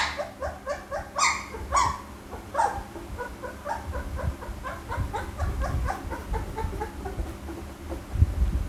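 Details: Pit Bull puppy letting out a series of soft, high whines and squeaks, a few louder yelps early on, set against a rumbling low background noise.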